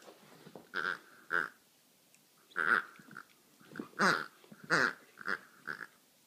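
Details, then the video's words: Bernese Mountain Dog puppy at play with a squeaky sheep toy, giving spaced bursts of toy squeaks mixed with gruff growling breaths, about six bursts over several seconds with quiet gaps between. "Bernese mountain dog puppy playing with squeaky sheep toy"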